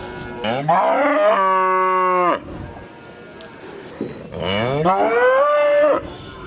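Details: A cow gives two long moos separated by a quiet pause. Each starts low, sweeps upward and holds a steady tone, and the second moo rises more gradually.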